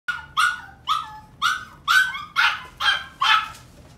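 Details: Yorkshire terrier barking: eight sharp, high-pitched yappy barks in quick succession, about two each second, each with a brief tonal ring, over a quiet background.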